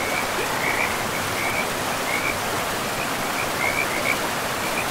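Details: Beside a forest river, frogs give bursts of short raspy trills at a fixed pitch, several spaced pulses in a few seconds, set against continuous broadband water noise.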